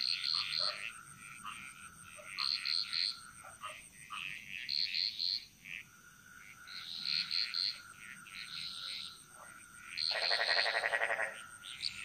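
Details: Frogs chorusing in a Bali jungle, giving grouped bursts of bright triple notes every couple of seconds, broken by a long harsh rattling croak near the end, with steady insect whine behind.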